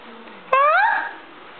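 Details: Single drawn-out rising meow from Stinky, a female house cat, during a calm, happy moment indoors; the tone slides steadily upward and fades out, and faint background hum is audible.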